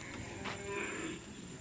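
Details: Racing cattle at a karapan sapi bull-race training session on the Nyobunih field in Galis, Bangkalan: one short, harmonic moo under a second long, with steady background hum and outdoor noise.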